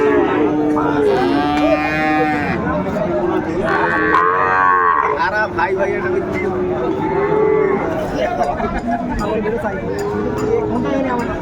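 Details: At Ambari market on 29 April 2024, Sahiwal bull calves sold to farmers from Faridpur give repeated long moos, some rising and strained, amid constant human talk, crowd noise and occasional clicks.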